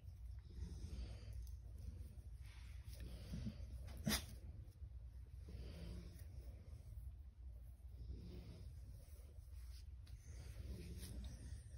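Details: Pit bull resting indoors on a chill afternoon, giving soft, rough breaths that swell and fade roughly every two to three seconds. A single sharp click sounds near the fourth second over a steady low room hum.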